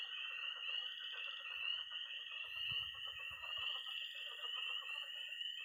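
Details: Missouri pond at night in early spring, with tree frogs, toads and frogs calling together: an unbroken high peeping wall with rapid lower trills, and a brief low rumble midway.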